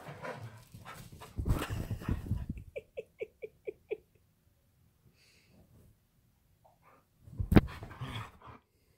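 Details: Husky at home during play: a run of six short, evenly spaced high yips over about a second, preceded by rough scuffling noise and followed by a loud burst of movement.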